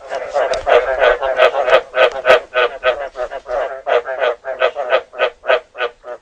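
Rough, nasal croaks pulse quickly and evenly from a frog, roughly three per second, each a short buzzy burst. The calls carry on in a steady rhythm with little else heard behind them.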